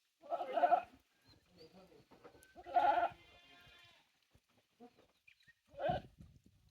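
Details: Goats on a Japanese handmade goat farm, 9 May 2024, around their new playground structure; three strong, vibrato-laden bleats about every three seconds, the middle one long and trailing, with quiet clicks between.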